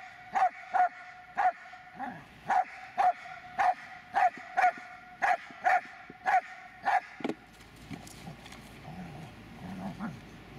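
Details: Dobermann named Magmar Von Der Burgstätte barking in a quick run of short, sharp barks about half a second apart over seven seconds, then falling quiet amid faint background rustling, with a steady high tone persisting beneath.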